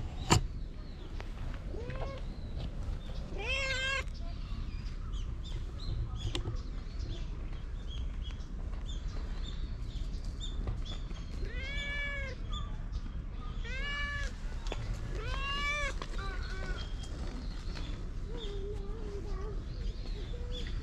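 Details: Stray cat dashing up to a familiar person to seek affection, filmed on a GoPro: a series of drawn-out, arching meows, some long and wavering, spread across about twenty seconds over steady outdoor background noise.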